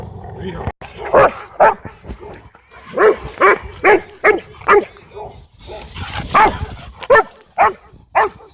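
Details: Cane Corso at a dog park, trying to dominate the other dogs while Bodhi interrupts; loud repeated barks at roughly two per second, a second burst of barking after a short pause, with some human voices in the background.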